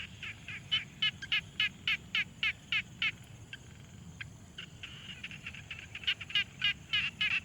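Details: Frogs at a quiet pond, recorded on a Tascam Portacapture X6: bright, rasping notes repeated about three times a second in steady trains, with a short pause near the middle and softer answering calls in the background.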